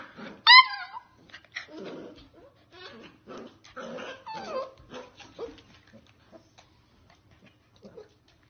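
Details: Corgi giving a sharp, high, harmonic whining yelp that wavers and falls, followed by a stretch of softer mixed vocal sounds and murmurs indoors.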